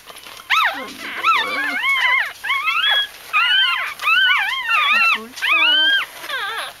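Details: A litter of Bichon Frisé puppies squealing almost nonstop: high, wavering whines and yelps, each bending up then down, coming in quick overlapping bursts about once a second, with a few lower squeaky grunts underneath.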